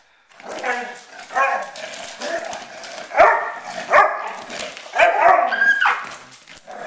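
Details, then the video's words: Poodles fighting, giving harsh overlapping barks and snarls with loud peaks roughly once a second over a continuous growling background, with some human voices mixed in. "poodle fight"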